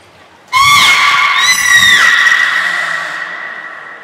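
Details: Captive belugas Hodoi, Taanya and Mirai, Nagoya Port Aquarium, 14 March 2021, during pool transfer and training. One long, loud, harmonic squeal with a whinny-like wavering sweep in the middle, fading slowly over three seconds.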